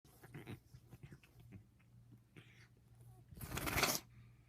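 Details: Pet cat Toto, a female suffering a bad sinus infection that makes her sneeze many times in quick succession; soft short snuffles and sniffs lead into one loud, explosive, hissing sneeze near the end, over a steady low indoor hum.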